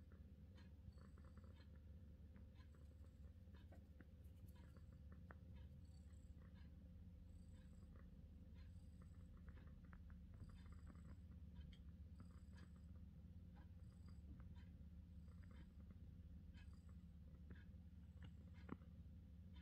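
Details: A British Shorthair purrs without pause for about twenty seconds, a deep, evenly throbbing drone with small intermittent clicks and light rustling sounds over it.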